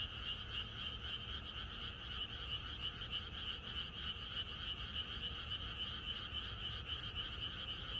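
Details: Rural night, rain on the way: a crowd of frogs croaks in a fast, rhythmic pulsing chorus, each beat roughly a third of a second apart, rising and falling slightly in loudness.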